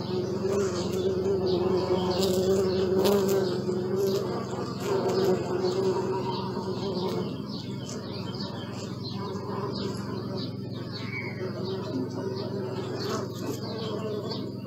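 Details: Bee buzzing for about seven seconds, a rich, wavering drone that shifts slightly in pitch as it hovers, then fades into a quieter low hum with soft clicks and rustles.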